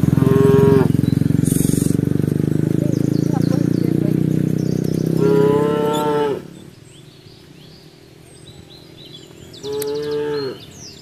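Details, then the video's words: Cows gathered on a road moo repeatedly: a short moo at the start, a longer one near five seconds and another near ten, over a heavy low engine-like rumble that fades midway. "Cow sound"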